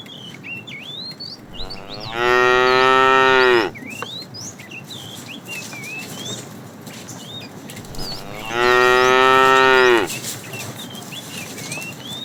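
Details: Tame cows roaming a road looking for food; two long, steady harmonic moos about six seconds apart, each near one and a half seconds, with birds chirping throughout.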